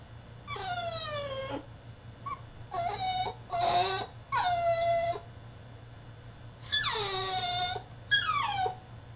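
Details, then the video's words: ['French Bulldog protesting in his cage with repeated long whining cries, about six, some sliding down and some held level, irregularly spaced, over a faint electrical hum.'] "FRENCH BULLDOG THROWS TANTRUM IN HIS CAGE!!"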